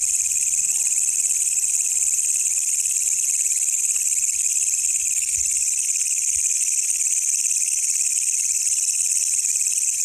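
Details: Night-time call of a wild katydid known locally as walang kecek: a sustained piercing metallic buzz held at constant loudness, with a few soft low knocks in the background.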